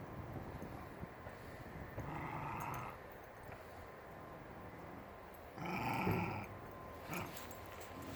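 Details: Five-week-old Shiba Inu puppies at play outdoors alongside adult Shibas give two brief whining growls a few seconds apart, each with a tonal, slightly strained edge, over steady outdoor rustle and shuffling.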